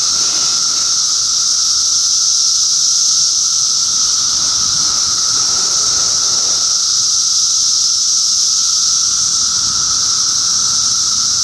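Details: June 2013 cicada chorus from Middlesex County, New Jersey, a continuous shrill buzzing wall of sound with no pauses, layered over a lower steady hum and faint background rustling.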